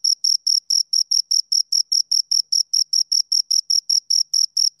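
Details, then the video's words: Close-up chirping of two crickets: crisp, shrill pulses spaced evenly, roughly twenty in under five seconds, each with a thin higher ringing tone above, nothing else audible. "Two Crickets Chirp Sounds"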